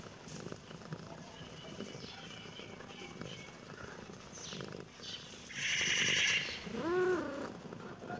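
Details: Kitten reacting to the camera. Soft, scattered sounds lead to a loud, rough, noisy burst, followed by one clear, arching meow that rises and falls near the end.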